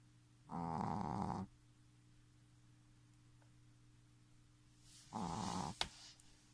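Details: Futa, a 3-month-old Shih Tzu puppy, snoring at full adult strength: two rasping, harmonic snore bursts about one second long, roughly four seconds apart, over a steady low indoor hum, with a sharp click at the end.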